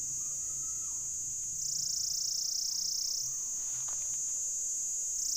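A Pycna repanda cicada gives a steady, high, shrill buzz that swells louder midway, calling for a mate.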